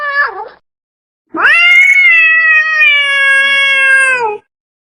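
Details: Domestic cat calling to attract another cat: a brief dipping meow followed by a long, steady, drawn-out wail of about three seconds that falls slightly at the end; no other sounds.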